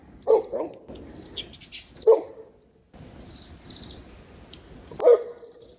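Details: Great Pyrenees dogs RunRun and Alain playing happily in late-March snow; three loud, deep single barks near the start, middle and end, with high thin bird chirps in the quieter gaps.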